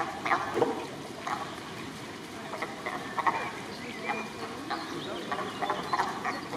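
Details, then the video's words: Sea lions calling back and forth on 2 May 2023: short, harsh, honking barks in irregular bursts roughly every half second to a second, set against a steady background murmur. "Lachtaní výměna názorů"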